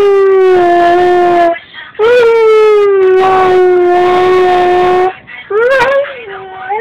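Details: A 6-month-old male Siberian husky puppy sings along to the song "Poker Face" in long, steady howls, each held for a second or more with slight wavering.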